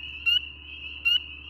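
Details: At night in spring, a nearby male spring peeper (Pseudacris crucifer) gives two loud, high, upward-sliding whistled peeps about a second apart, over a steady, dense shrill chorus of many peepers.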